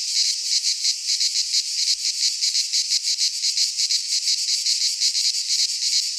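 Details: Midsummer chorus of cicadas in a pine forest in Greece, an unbroken shrill buzz beating in quick regular pulses, roughly several per second, with nothing else audible.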